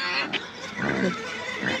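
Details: Pigs in the farm animal area of Cotswold Wildlife Park and Gardens, Burford, Oxfordshire, UK, visited at Christmas; a brief low grunting sound blends with people chatting nearby.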